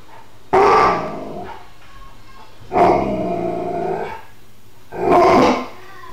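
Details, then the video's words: Alaskan Malamute, a pet dog spooked indoors by a vase, growling at something unseen; three loud harsh gruff bursts about two seconds apart, each rough and broad with a low rumbling tail between. "Alaskan Malamute gets spooked"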